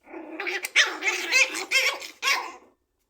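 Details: Chihuahua puppies yapping and barking in a quick run of high, strained little barks, several overlapping yelps, then a pause and one final sharp bark.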